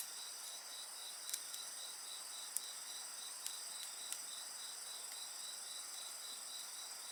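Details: High continuous insect song with a rhythmic pulsing chirp, several voices overlapping, accompanied by intermittent crackles and pops from a bonfire.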